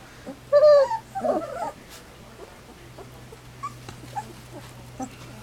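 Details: Three-week-old Standard Poodle puppies on their first day outdoors, just after their first mouthfuls of puppy gruel: one loud, high, wavering whimper lasting about a second, a brief follow-up squeal, then faint yips over a steady low hum.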